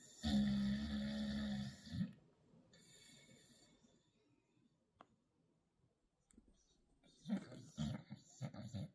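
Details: Shadow, a pet dog, snoring loudly while trying to sleep indoors: a long, rough, rasping snore with a low droning tone for about two seconds, a quiet pause, then several shorter snorting snores near the end.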